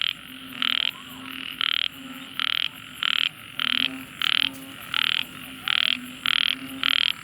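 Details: Small frog giving a deafening call, short loud rasping bursts repeated about every three quarters of a second in an even chain, with a soft low hum under each note.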